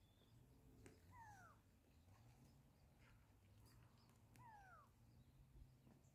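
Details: An African wild dog in a pack gives two high, squeaky whines that slide downward a few seconds apart. The pack had been playing, was distracted by surrounding bird calls, then settled to lie down.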